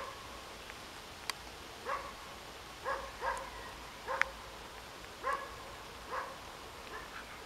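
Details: A roe deer doe with her fawn, moving away to a safe place, gives short, nasal, piping calls repeated about once a second.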